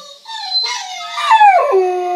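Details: German shorthaired pointer howling while listening to a recording of itself howling; a short rising then falling tonal wail that slides down and settles into a steady lower note.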